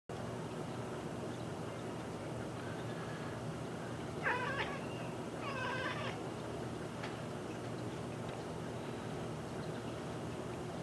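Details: Kiki, a domestic cat, fixed on a bird at the feeder beyond the window glass, lets out two short runs of rapid, clicking chatter, each under a second long, over a steady low background hum.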